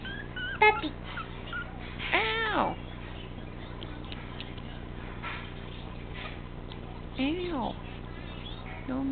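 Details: Teacup Chihuahua puppy named Buddy, 13 ounces and teething, indoors: two short high arching whimpers with bright overtones, about five seconds apart, amid a woman scolding and saying "ow" as he nips at her hand.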